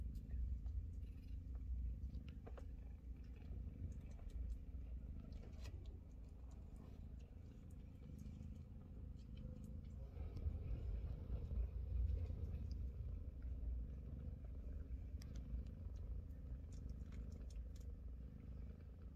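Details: Chloe, a Scottish Fold mother cat, lies calmly nursing her grown Scottish kittens as they push and fight for a place at her belly; a steady low rumbling purr runs throughout, with small rustles and soft knocks.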